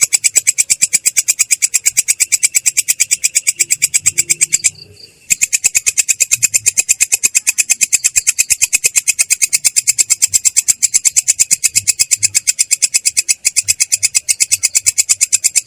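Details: Ngerol trill of a belalang kecek katydid, clear and coarse in tone: fast, even, rasping high pulses running continuously, broken by one short pause around five seconds before resuming at the same rate.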